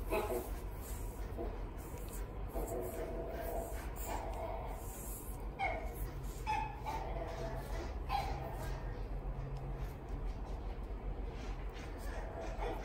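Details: Pembroke Welsh Corgi at the Inu no Ie Fuji pet shop, giving short yips and whimpers, spaced roughly one to two seconds apart, over a steady low indoor hum with people talking.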